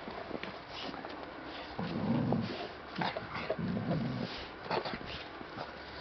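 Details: American Staffordshire Terrier making two low, rough growls, each under a second, separated by a pause, over a background of soft thumps and rustling.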